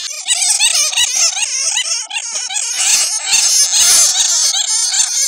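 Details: Many bats caught in a net, their real voices used as a lure call: frantic, very shrill squeaking and screechy chatter, thick and overlapping, louder toward the end.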